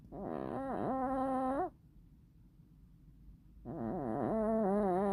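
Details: Tuxedo cat asleep and snoring in two wavering, buzzy tonal breaths about two seconds apart. Each breath is rich in harmonics and wobbles in pitch, with soft low rumbling between them in a quiet room.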